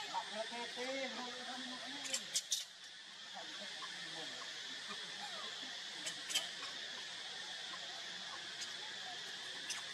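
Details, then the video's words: A big young monkey begging its mother for milk gives wavering, whining cries that rise and fall over the first two seconds. Scattered sharp clicks follow, all over a steady high insect drone. "Pitiful Big Son Begging Mom's Milk, Very Needed Milk Big Son Monkey"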